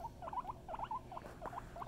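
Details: Mama Kona, a pet guinea pig, voices a quick run of short squeaky notes that bend up and down, about four or five each second, with a soft low rumble beneath and a quiet room around her.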